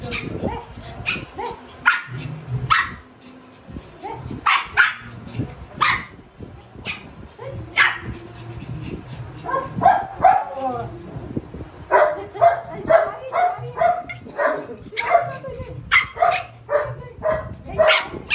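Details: A pet Shih Tzu in a playful attack, barking in short sharp bursts, sparse at first, then rapid yaps roughly twice a second toward the end, with some background rustling.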